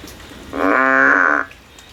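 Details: Single sustained frog call, rich and harmonic with a steady pitch, about a second long, from a frog climbing a tree in search of a way out; quiet background before and after.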